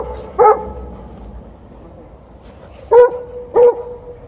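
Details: Liza, a female Alaskan Malamute in heat and angry at TJ, a Golden Retriever, at the end of a morning walk: three loud, short, harmonic barks, one near the start and two close together near the end, with quiet background between.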